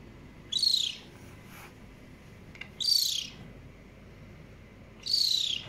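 A caracal kitten gives high, bird-like chirps, each a short descending burst, repeated about every two seconds.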